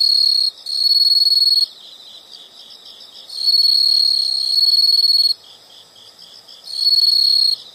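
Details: Insect sounds from a nature recording: loud sustained high trills lasting one to two seconds alternate with quieter stretches of rapid soft pulsing chirps, the trills returning three times.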